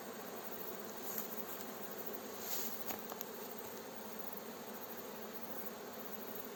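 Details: Honey bee swarm buzzing as a beekeeper gently guides the fresh swarm into its hive outdoors near villages: a dense, steady hum with a few faint clicks and crackles.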